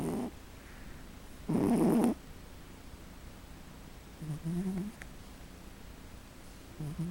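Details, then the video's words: Pote, a female pet cat, snoring as she sleeps indoors: low, rasping breath sounds recur roughly every two to three seconds, one longer and louder than the rest, over a quiet room hush. "Pote(My Cat) Snoring"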